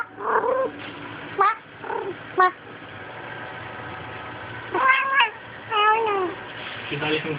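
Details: A domestic cat named Kitty, prone to violently attacking her own tail, filmed with a Sprint Evo phone, gives about eight short, bright meows, some in quick pairs, bending up and down in pitch, against a steady background hum.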